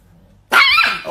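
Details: Angry Chihuahua letting out one sudden sharp yapping bark, harsh and bright, cutting in after a quiet pause, with people's voices nearby.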